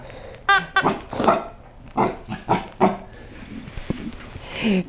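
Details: Rocky, a seven-month-old, 12-pound Chihuahua and Cocker Spaniel mix, barks at a new toy that scares him: a few sharp, harmonic yaps early on, then looser gruff bursts spaced about a second apart, with a person talking nearby.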